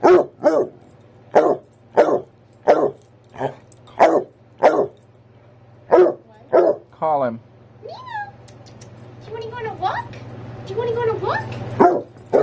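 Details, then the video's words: Male basset hound barking because it is time for his nightly walk: about ten loud, sharp barks in the first seven seconds, roughly every half second, then softer whining sounds with people talking. "Barking to Go on a Walk"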